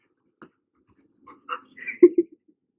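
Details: Bruno, an untrained pet dog, indoors in a small room, reacting to a vacuum cleaner. Faint brief yelps lead into two loud, short, clipped barks near the end, with squeaky higher whines between them and a person exclaiming afterward.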